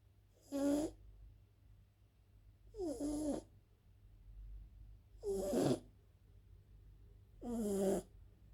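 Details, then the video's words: A sleeping French bulldog snoring: four rasping snores about every two and a half seconds, each with a wavering nasal whine, separated by quiet pauses over a low background hum. "French bulldog, Elsa snoring"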